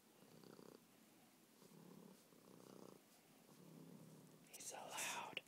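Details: Happy pet cat Meatball purring in a low, buzzing rhythm of repeated rumbling phrases, followed by close whispering and a sharp rustle at the end.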